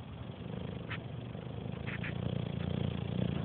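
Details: Harley, a 7-year-old English Bulldog, snores very loudly while sleeping on his couch: a low, rough rumble that swells gradually.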